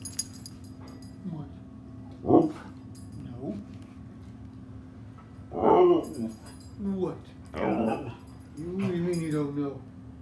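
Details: Pet Husky talking back to its owner indoors in a small room: a series of drawn-out, wavering whines and yowls, some rising and falling, about five vocal bursts spread over ten seconds with quiet gaps, low room hum throughout.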